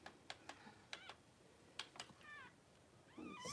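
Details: Cavalier King Charles Spaniel birth, mother Daisy delivering six puppies within two hours; sharp clicks and taps, then short rising, quavering high squeals near the end, indoors with quiet background hiss.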